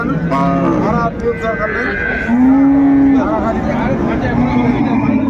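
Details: Cows and calves at the Ambari cattle market in Dinajpur, Bangladesh, sold on 31 January 2025; a long low steady moo runs for about a second amid constant crowd chatter and market bustle, with shorter lowing calls around it.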